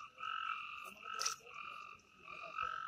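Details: Frogs calling at night in the forest of the Amboli hills, Sindhudurg, India: steady, tonal, slightly nasal notes, each held just under a second, repeating three times with short pauses, over a quiet background.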